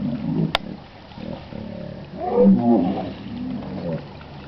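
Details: Hippopotamus calling in Chobe National Park, Botswana, in July 2005: a deep, creepy grunting roar that swells in the middle and fades, with a sharp click near the start and low rumbling background.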